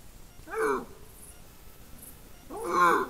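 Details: Eurasian lynx calling at Medvedova c on 17 September 2023. Two short, hoarse, wavering yowls rise and fall, one near the start and a louder one near the end, with faint background noise between them.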